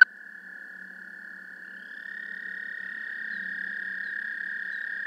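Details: American toad recorded with a parabolic microphone: a fairly quiet, continuous monotone trill that grows gradually louder, with a second faint higher trill joining partway through.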